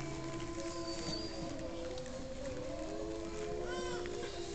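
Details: Gray wolves at Bays Mountain Park howl unexpectedly in a chorus of drawn-out, low, smooth tones that slowly bend up or down, overlapping and shifting against one another, with faint higher notes above.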